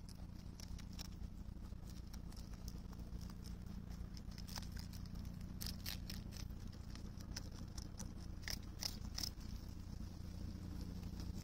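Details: European rabbit on Okunoshima (Rabbit Island), Japan, in June 2021, chewing cabbage thoroughly with quick, irregular crisp crunches and clicks over a low steady hum.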